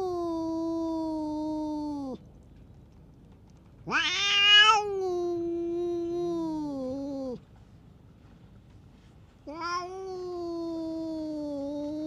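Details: Long low moaning growl-yowls from a stray cat bullying other cats, steady and droning, broken by a sharp higher screech, then the low wail resumes.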